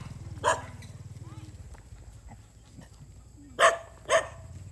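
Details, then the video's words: Stray dogs fighting as they eat rice near a road on a Cambodian farm; three short, sharp barks, one early and two close together at the end, over a low droning hum. "Dogs fight when eat rice near road"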